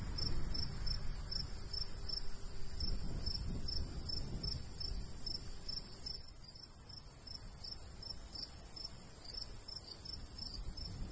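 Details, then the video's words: Crickets chirping in summer countryside beside a golden wheat field: a steady train of high, short pulses, roughly three per second, over a low rustle of light breeze. "Countryside/cricket sounds"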